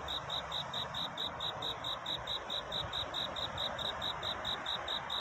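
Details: A cricket calls through the night to find love, its courtship song a run of clear, shrill chirps spaced regularly at roughly two per second, steady and unbroken.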